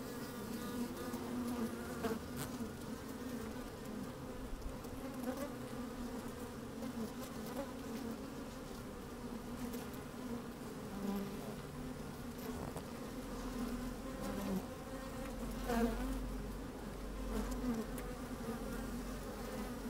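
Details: Worker honey bees in an open hive on a fine sunny day, microphone placed inside: a sustained many-voiced hum with scattered sharper buzzes of single bees, and wind gusts rumbling low in the second half.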